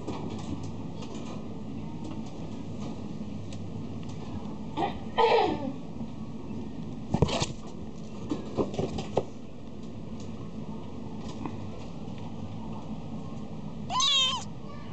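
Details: Scottish Fold cat with a short, tonal meow midway and a longer arched meow near the end, separated by scattered knocks and rustles over a steady indoor hum.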